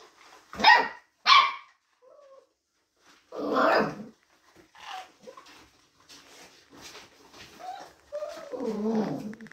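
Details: Labrador Retriever mix puppies, mixed breed retrievers aged between day one and nine weeks, giving two loud high yelps, then a run of softer whining cries and short squeals, ending in a lower drawn-out whimper.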